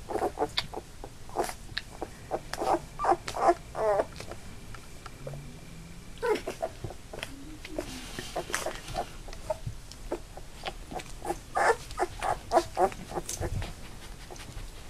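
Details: Labrador Retriever puppies, a litter of eight nearly three weeks old, indoors, newly walking with eyes open; repeated short high whimpering squeaks in bursts, with scuffling and clicking movement noises between them.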